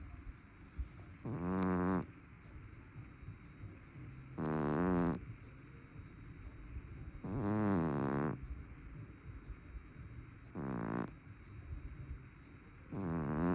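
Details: Loud snoring from a fat brown tabby cat: five harsh, vibrating snores, each about a second long, come roughly every three seconds, steady and rhythmic in a quiet room.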